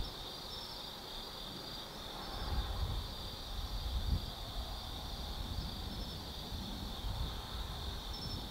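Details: Night chorus of autumn insects at Tsukimi no Mori, Kaizu, Gifu Prefecture, Japan: unbroken high-pitched trilling drone with a few sharp higher chirps, over low rumbling background noise swelling midway.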